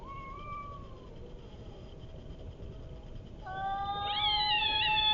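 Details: Fighting cats making odd calls: a faint wavering yowl at first, then after a quiet gap a louder, rising, quavering caterwaul that builds toward the end.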